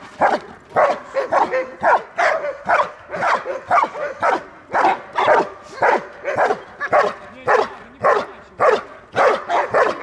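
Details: Belgian Malinois in protection training, guarding its female owner in Dyukovsky Park, Odesa, Ukraine; loud, rapid barks repeat almost twice a second, steady and insistent throughout.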